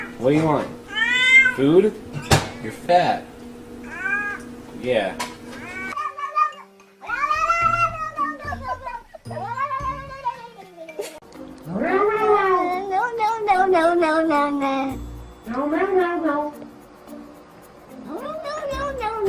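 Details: Domestic cats making odd talking-like noises: a run of arched, whiny meows rising and falling in pitch, some short and clipped, others drawn out, over background music and occasional human voices.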